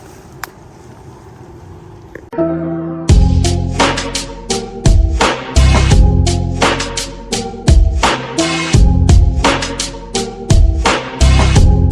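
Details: Faint background noise gives way to loud hip hop music with a heavy, pounding beat.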